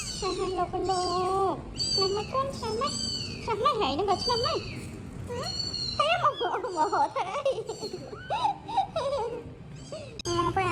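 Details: Several homeless baby cats meowing over one another in a rapid jumble of short, wavering, high-pitched cries, mixed with human speech throughout.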